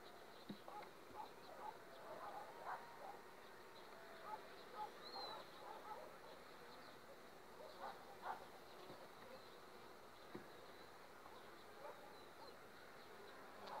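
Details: Overwintered honey bee colony on five frames, two weeks ahead of the acacia flow, giving a low continuous drone with irregular soft clicks and short swells in loudness throughout.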